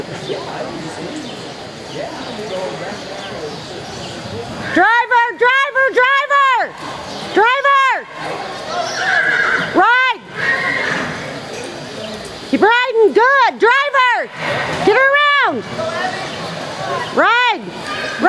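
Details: Horse at a stock horse sale and ranch horse competition in Newcastle, Wyoming, in June. Several loud harmonic whinnies start at about five seconds, each a rising-then-falling quavering cry, repeated in bursts over a rodeo arena background with hoofbeats and shouting.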